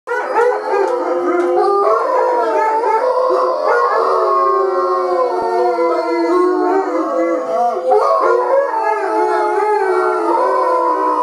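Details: Three Bloodhounds howl together in long, wavering, overlapping tones that slide up and down as neighbours pass the house.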